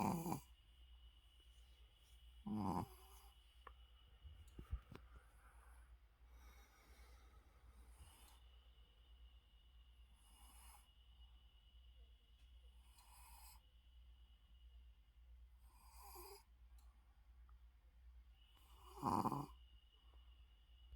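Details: Shih Tzu sleeping with its eyes open makes a few sharp snoring breaths at the start, middle and end, with softer breathing snorts between them and a low constant hum.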